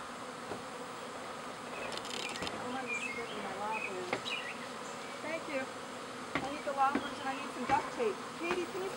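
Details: Spring swarm of honey bees from an overcrowded backyard hive, half the colony with a new queen relocating: a continuous low, buzzy hum with scattered bird chirps, occasional knocks, and louder flyby buzzes near the end.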